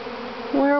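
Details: Honey bee swarm at Grass Lake Sanctuary, Manchester, Michigan, May 2012; one bee passes close, its buzz jumping to a loud, clear, steady tone halfway through over the softer drone of the swarm behind.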